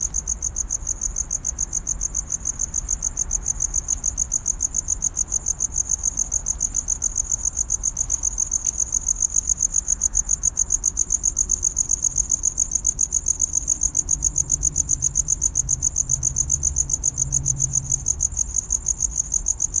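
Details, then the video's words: Cricket chirping to attract a mate in courtship: a steady, shrill, high-pitched pulse repeated several times a second without pause for the whole stretch, over a faint low rumble. "Real Cricket Chirping Sound｜Cricket Noise"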